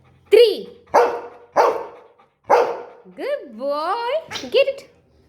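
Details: Golden Retriever in a small room during a number-learning game gives four loud, clipped barks in a row, then the owner's voice saying good boy, then one more bark.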